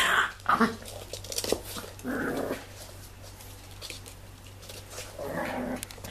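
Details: Tibetan Terrier puppies, six weeks old, growling: short harsh growls and squeaky yips in several separate bursts, with quieter stretches and some human voices in the room.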